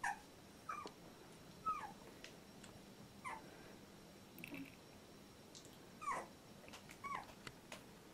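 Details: Fourteen-day-old Labrador Retriever puppy from litter J at Nice Friend kennel, giving short high squeaky whimpers, each slightly bending in pitch, repeated irregularly about every second against a quiet room hiss.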